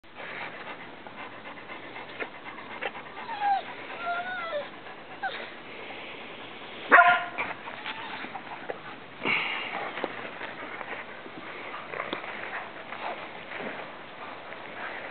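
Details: Two setters, Ozzy, a 9-month-old English Setter puppy, and Sassy, a 7-year-old Irish Setter, play catch and keep-away outdoors, filmed on a small Nikon camera while walking. Brief high whines rise and fall over soft panting, with a sharp knock midway.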